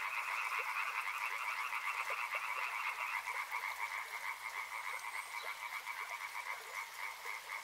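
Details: A river frog chorus: many animals croaking in quick rhythmic pulses, the mass of calls steady and dense, with a few lower knocking notes and a background hiss.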